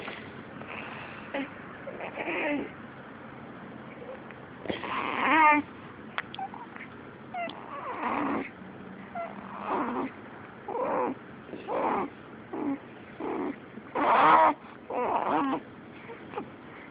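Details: Elise, a pet cat, sneezes and makes noises: a string of short breathy bursts roughly every second, with one clearer harmonic cry near the middle, over a steady low room hum.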